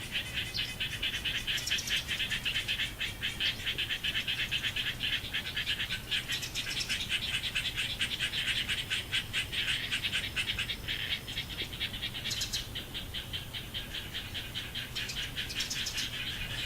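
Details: Frogs calling in a garden on 10 October 2014, just after 11:00 in the morning: dense, overlapping rattling trains of rapid pulses, buzzy and continuous, swelling and fading in bursts, over a steady low hum.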